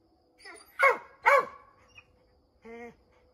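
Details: Redbone Coonhounds barking up an oak tree at a treed chipmunk: a soft lead-in, two loud rough barks in quick succession, then a short drawn-out tonal whine.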